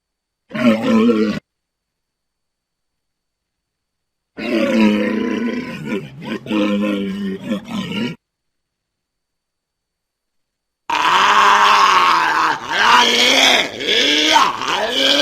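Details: Walrus calls in three separated bursts: a short harmonic bellow, then a longer wavering roaring stretch, then a harsh, bright, strained bellow with rising and falling tones.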